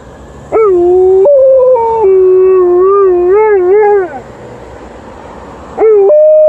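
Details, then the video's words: An Alaskan Malamute named Liza answering passing ambulance and police sirens with a long howl. The howl jumps up at the start, then holds with gentle wavers and a quick trill-like wobble before trailing off; another howl begins at the end. "Alaskan Malamute howling to the ambulance and then the police car"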